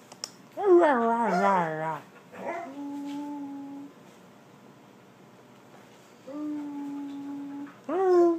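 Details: Border Collie 'talking' and 'laughing' indoors: a quick run of wavering, yodelling whines descending in pitch, then long steady high howl-like tones held for about a second each, ending with a sharp rising whine.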